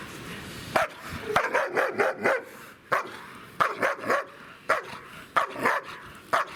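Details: Siggi, a two-year-old female German Shepherd with a nervy side, under pressure in a new training scenario during bite work, giving a run of sharp barks in quick bursts, some doubled, with short gaps between.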